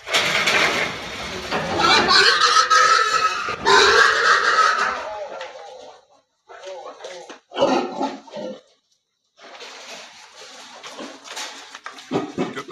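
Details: Wild boar being caught and put back into a cage: loud, harsh, broadband squealing for about five seconds, then shorter bursts mixed with people talking nearby.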